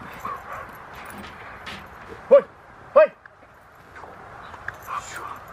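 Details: Female Rottweiler at her second protection training session at a Rottweiler club in Victoria, learning protection work: two loud, sharp barks about 0.7 seconds apart in the middle, with soft voices and low background noise around them.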